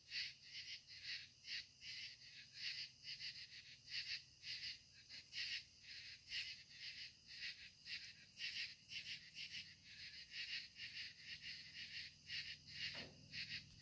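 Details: An evening chorus of katydids at sunset: dry, high-pitched rasping pulses beating steadily about twice a second, with a soft low hum underneath and one brief knock near the end.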